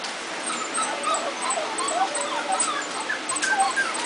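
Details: Kennel puppies brought indoors during a thunderstorm, excited and crying: many overlapping high, thin squeaks and whimpers in a busy, continuous chorus.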